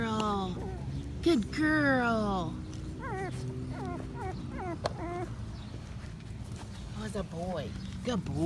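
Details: Five-week-old Patterdale Terrier puppies exploring a newly built earth tunnel made from black PVC pipe give high, arching whimpers and short yips in quick irregular bursts, while a person's voice keeps coaxing and praising them as good boys and girls.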